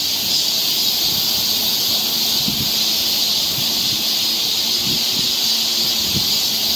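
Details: Summer cicada chorus on a forest trail in Seoul, Korea, an unbroken high hissing drone holding level throughout, with faint low rumbles beneath.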